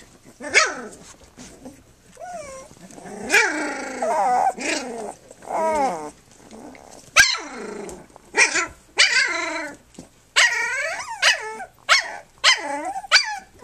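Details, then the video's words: Three-week-old puppies of the dog Flute, nursing and playing on their three-week birthday, give a busy run of high, wavering whines and squeaky yelps, many rising then falling, in overlapping bursts with short quiet gaps. "3 week pups"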